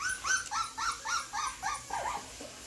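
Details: American Bully pups giving about nine short yelping whimpers in quick succession, roughly four per second, each rising then dropping, the last few slightly lower and softer.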